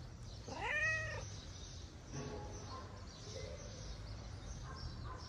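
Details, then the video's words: Tortoiseshell stray cat in Morocco seeking affection, jealous of a white cat: one clear rising-falling meow with bright harmonics, then a softer shorter mew near the end, over steady low street noise and faint bird chirps. "The tortoiseshell cat wants to get love just like the cute white cat."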